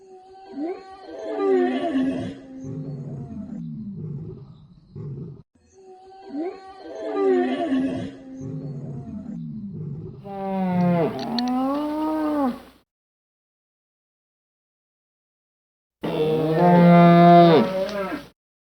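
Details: Moose calling: a run of low, nasal, wavering moans and grunts in two bursts, then a rising-and-falling drawn-out wail, a few seconds of silence, and a final loud, steady, drawn-out bellow.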